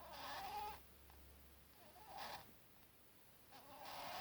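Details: Pet rabbit Buttons, one year old, snoring while asleep: three breathy wheezing snores about every one and a half seconds, the first carrying a thin squeaky whistle, over a low steady hum.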